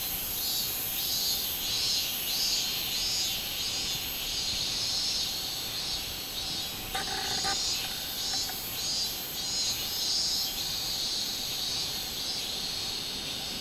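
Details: Minmin cicada, recorded 24 July 2016, producing a steady buzzing song of rapid, evenly pulsed shrill bursts. A short clicking noise sounds around the middle.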